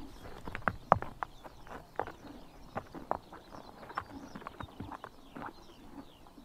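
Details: Summer morning in Mongolia as horses bite grass in the sun: crisp ripping snaps roughly four per second, irregular, with faint high bird twitters behind.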